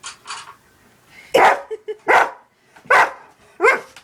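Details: Pet dog barking while watching cat videos indoors, lying on a bed; four loud sharp barks roughly every 0.7 seconds, preceded by softer yips and faint clicks.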